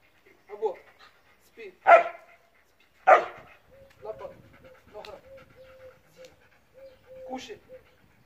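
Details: Trained Siberian Husky barking during a training demonstration: two loud, sharp barks near the two- and three-second marks, with softer yelps and a steady thin whine-like tone between them, while a person speaks commands.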